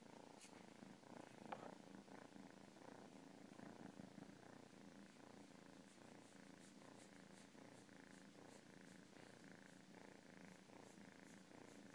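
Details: Domestic cat purring steadily and continuously, a soft, rhythmic rumbling drone with a regular pulse throughout, quiet and close, with a faint click early on.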